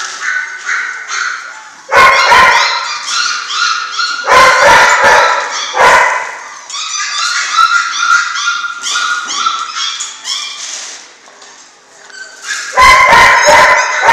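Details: Puppies of a German Shorthaired Pointer litter, six weeks old: repeated clusters of sharp yelping barks separated by stretches of many overlapping high-pitched whimpers and squeals from several pups.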